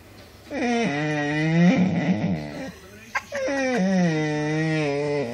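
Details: Cooper the dog lets out two long, steady moaning howls, each held for over a second with a slight downward slide, separated by a rough, breathy break and a sharp click in a small room.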